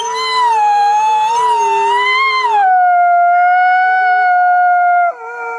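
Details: Drawn-out Arctic fox cry, a clear tonal howl that wavers gently for over two seconds, then settles into a lower, even note sustained for several seconds before a brief final yelp.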